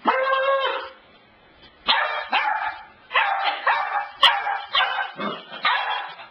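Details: Cassidy, a pet dog, at the couch: a drawn-out harmonic yowl opens, then after a silent gap a string of about seven short, bright barks and yips, some rising in pitch.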